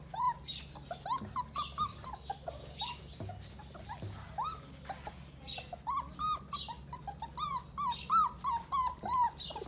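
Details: Pitbull cross Jack Russell terrier puppies, six weeks old, whine and whimper almost continuously. Short upward-bending squeals follow one another several times a second, with a few louder yelps over a faint background hum.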